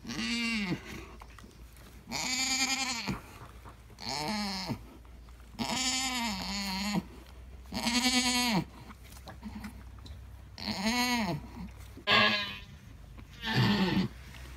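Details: Alpine goat giving birth to triplet kids, calling in a series of loud harmonic bleats, each about a second long with an arched, wavering pitch, spaced every couple of seconds with brief quiet gaps between.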